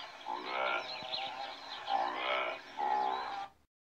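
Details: Antelope making three rough, nasal, moaning calls with a slight rise in pitch, each roughly a second long, before the sound stops abruptly.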